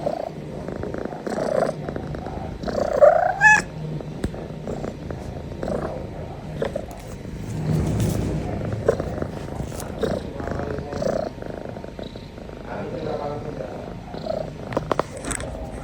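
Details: Tabby kitten relaxing, yawning and stretching: continuous low purr with rhythmic pulses, a brief rising squeak near three seconds, and soft rustling throughout.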